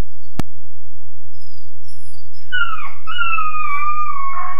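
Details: Weimaraner puppy about 13.5 weeks old, alone in his kennel crate, gives a short howl: one rising then falling wail near the end, after a sharp click, over a steady low hum.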